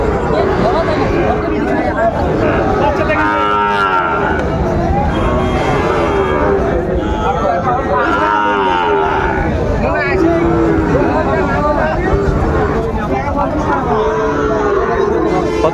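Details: Sahiwal bull calves at a cattle market where Dhaka farmers buy stock, 30 August 2024. Two drawn-out, wavering moos sound near the start and middle, under constant crowd chatter and bargaining voices.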